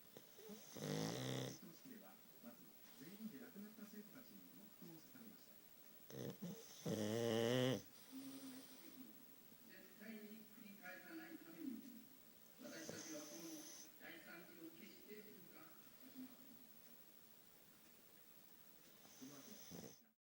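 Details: Futa, a sleeping pug whose flat nose makes the snoring heavy, gives loud rasping snorts about every six seconds, with softer rumbling, wheezy breaths between them indoors.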